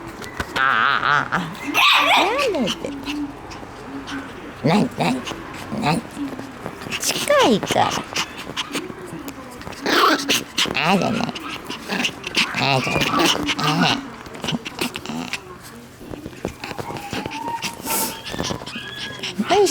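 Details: Shiba Inu puppy playing energetically outdoors, giving short sharp barks and yips in scattered bursts, some with whiny rising tones, over frequent human voices talking close by.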